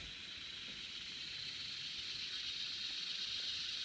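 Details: Cicadas buzzing in a steady, unbroken high-pitched drone that holds its pitch and swells slightly in loudness toward the end, with no other clear sounds.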